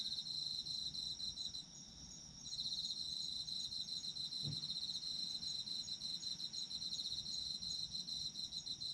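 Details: Autumn insects sing for sleep in a bright, high, pulsing trill layered with fainter ringing tones, dipping briefly early on, then steady; a single soft low thump midway amid quiet background hum.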